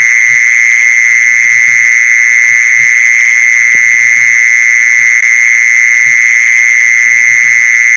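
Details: Continuous mole cricket trill, played to lure mole crickets, sounds as a flat, droning buzz that never pauses or changes pitch, with soft scattered low knocks and one brief click beneath.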